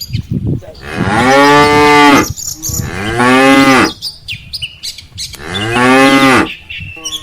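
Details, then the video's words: Three loud, long lowing moos in close succession from a herd of tame cattle, cows followed by calves returning from a rice field to the farm barn; faint bird chirps between calls. "suara sapi moo"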